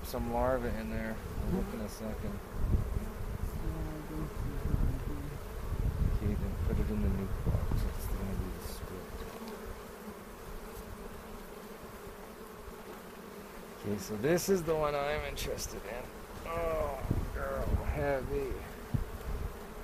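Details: A hive inspection on April 27, 2018 near Cochrane, checking for queen cells. A soft, continuous colony hum carries quiet stretches, then louder warbling buzzes of individual bees passing near the 360 camera.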